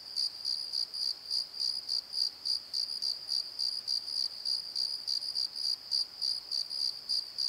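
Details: Crickets singing at night in a valley bottom: shrill, evenly repeated chirps about three each second over a steady high insect drone, with a quiet background otherwise.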